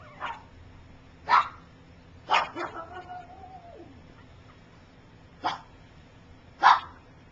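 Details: Gypsy's puppies at three weeks old, some learning to walk while others sleep, give sharp isolated yelps spaced a second or more apart, with one drawn-out, level whine in the middle.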